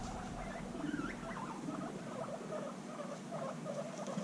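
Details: Guinea pigs reunited after six months apart, bonding intensely: a busy stream of short chirping squeaks and soft chuttering calls, bunched and irregular, over a steady low background hum.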